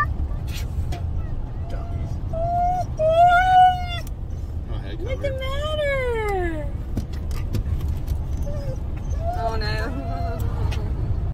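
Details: Two Siberian Huskies riding along in a car give drawn-out, wavering howls and whines, one long call swooping up then sliding down midway, over a steady low rumble of the moving vehicle.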